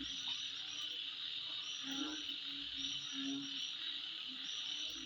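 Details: Insects calling at midnight: a steady, dense, high-pitched buzzing drone runs unbroken throughout, with short low hooting notes repeated underneath and faint brief ticks overhead.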